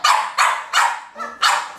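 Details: A camera-shy baby French Bulldog gives four short, sharp barks spaced about a third of a second apart, telling the photographer what's on its mind during a photo shoot.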